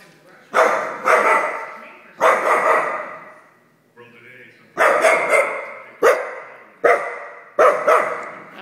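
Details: Soft Coated Wheaten Terrier barking angrily at his own reflection: loud, harsh barks in quick bursts of one to three, several groups over nine seconds, with a person speaking softly between them.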